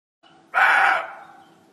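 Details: Sambar deer (Rusa unicolor), alarm call: warning of a tiger.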